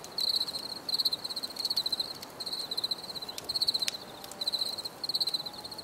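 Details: Cricket song in nature: bright, high trilled chirps in evenly spaced bursts of fast pulses, with faint clicks and a low hiss underneath.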